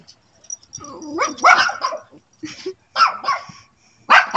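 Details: Pet dog calling out toward the neighbour's dog, hoping for a response: a string of yipping, whining barks and howl-like cries in uneven bursts, with loud sharp barks at the end.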